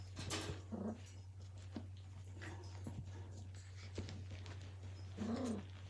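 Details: Blue Heeler puppies playing: one brief throaty growl-yip early, scuffles and light knocks in between, then a longer rising-falling grumble near the end, over constant low hum and faint voices.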